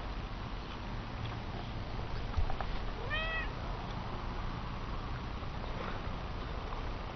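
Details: Chatty domestic cat giving a single short, rising-falling meow midway through, surrounded by steady low room noise and a soft knock.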